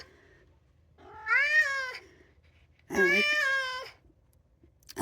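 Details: Two-year-old polydactyl Maine Coon cat indoors, meowing to be let outside, two long drawn-out harmonic meows, each about a second, rising then falling, with a room's quiet hum between.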